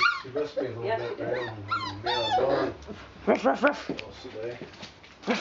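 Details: Puppies four weeks and four days old playing with mother Valentine indoors, March 18th 2013; a tumble of high, wavering yips and squeals, then quieter whines, over steady low human talking.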